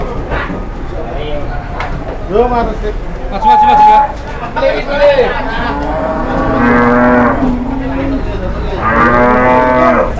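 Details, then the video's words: Startled, raging cattle brought to market for the first time bellow repeatedly; several short rising and falling moos give way to two long sustained ones, with people talking in the background. "SAPI BARU PERTAMA KE PASAR DI KAGETIN NGAMUK"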